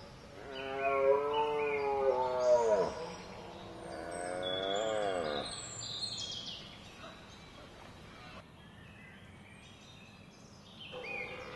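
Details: Red deer roaring during the rut in Hoge Veluwe National Park on 19 September 2010. Two moderately loud harmonic roars with falling ends are followed by quieter background, with birds chirping throughout.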